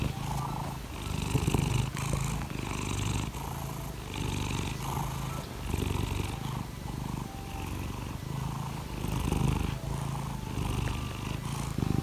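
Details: Laimi, a pet cat, purring in the morning while asking to be petted: a steady low rumbling throb, pulsing in breath cycles under a second long, with faint higher tonal sounds above it.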